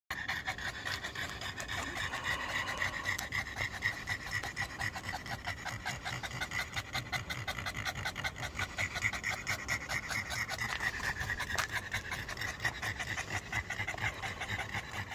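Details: Panting of a black Pug and a Boston Terrier, two dogs out on a late-night walk in still muggy, hot weather: fast, steady breathy huffs running through the whole stretch, with a faint hiss of background noise.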